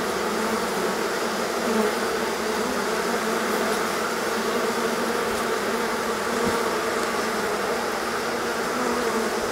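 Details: Steady mass buzzing of a honey bee swarm leaving the hive on a hot day, after a long period of rain and cold had kept the colony confined; the dense hum stays level and unbroken.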